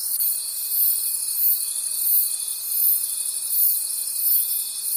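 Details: Crickets calling at night in a forest: a dense, high shimmering trill pulsing about three times a second, with a steady thin tone running underneath and fading near the start.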